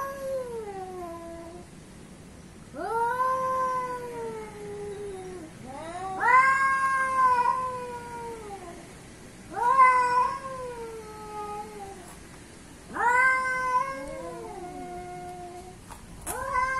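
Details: Asian and African cats in a fight: repeated drawn-out yowling wails, roughly every three to four seconds, each swelling upward then sliding down, with two voices overlapping near the end and a faint click.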